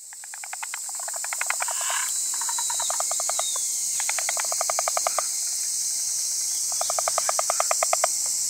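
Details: Wrinkled frog giving repeated bursts of fast rattling pulses, several series each lasting about a second with brief pauses between, set against a constant shrill insect chorus.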